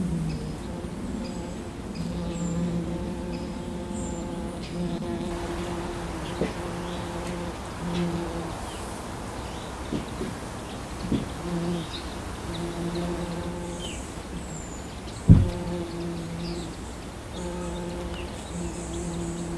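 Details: Low humming buzz of wild honeybees working a wildflower meadow. Bees drift in and out, and the steady drone strengthens and fades across a background hiss. A sharp knock comes near the end, and faint thin bird chirps sound overhead.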